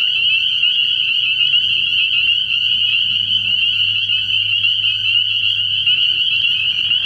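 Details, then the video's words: Many spring peepers calling at night from a frog pond early in the year produce a steady high-pitched trilling chorus without pause, backed by a soft low hum. "Relaxing Tree Frog Sounds"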